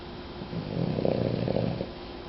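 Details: A single throaty, rattling snore from Jewel, a sleeping female dog, rising and ebbing within about a second against faint room hum.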